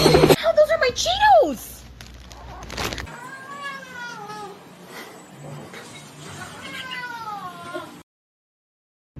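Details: Domestic cat meowing indoors: a loud, bending meow first, then softer drawn-out meows with gently falling pitch, mixed with a person's voice and a faint background hum.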